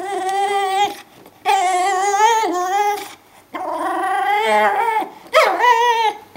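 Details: A Brittany Spaniel indoors greets its owner at the door on homecoming with loud, sustained, wavering whines in long drawn-out bursts, each lasting one to two seconds, with brief breaks between them.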